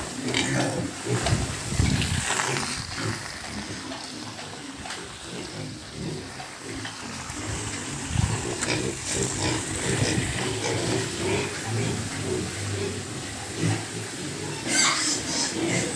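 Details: Sows and piglets in farm pens, continuous overlapping grunts and snorts from several pigs, rough and irregular, with occasional sharp louder squeals and clattering noises.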